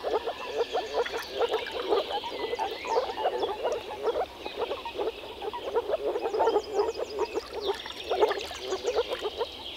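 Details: Chorus of frogs in spring in the Czech Republic, pond or wetland: dense, overlapping short croaks repeated rapidly and steadily throughout, with twittering birds and a brief rapid trill high above.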